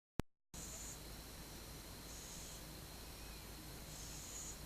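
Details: Twelve-month-old cat asleep, recorded 8 October 2015, breathing softly: faint airy hisses rise and fall roughly every two seconds over a steady hum, after a sharp click at the very start.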